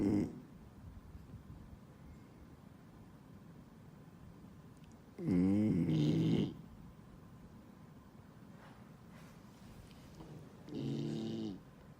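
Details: A 10-month-old male New Guinea singing dog puppy snores during his afternoon nap, with low raspy rumbles coming about every five seconds.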